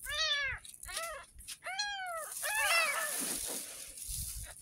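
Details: Young kitten, ten days old and found in a gutter, gives four clear arched meows while being washed for its first bath, followed by quiet with faint rustling.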